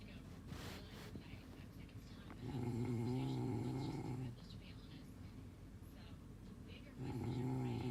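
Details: A sleeping dog gives deep, droning snores with a wobbling low pitch, one lasting nearly two seconds and another starting near the end, after a soft rustle at the start.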